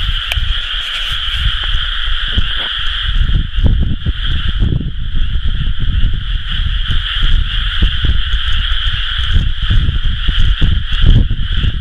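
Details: Chorus of many frogs in paddy fields around planting time, recorded 30 May 2011, a continuous buzzing trill in high and mid layers that never pauses, over strong fluctuating low-pitched rumble.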